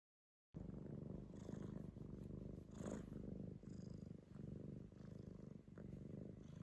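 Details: Rescued domestic cat purring while being clingy and affectionate, with another cat watching from a distance; steady low rumbling purr throughout, rising and falling gently with each breath, in a quiet small room.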